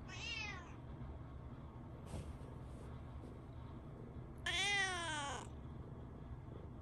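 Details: Indoors at morning greeting time, a tabby cat appears to protest that the Shiba dog left for its walk. Two meows about four seconds apart, each a falling wail, with a brief click between them.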